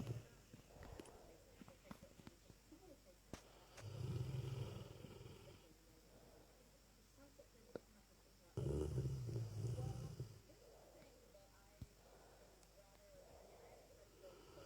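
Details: Dezo, a Lurcher, snores loudly while asleep: two long, low rumbling snores a few seconds apart, each lasting about two seconds, with quiet breathing between them.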